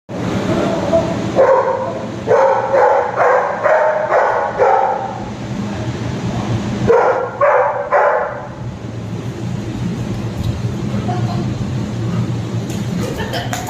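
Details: A Labrador Retriever named Simba barks angrily at his brother, as if scolding him for going away; rapid harsh barks come in two bursts separated by a short pause, with background music throughout.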